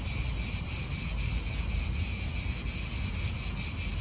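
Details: Cicadas in an Italian park, a steady high shrill buzz with a fine rapid pulsing that runs without a break, over a low rumble of wind.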